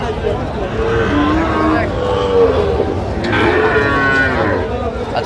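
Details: Sahiwal bull at Ambari cattle market, 1 August 2025; two drawn-out, low moos that waver in pitch, heard over steady crowd chatter and market noise.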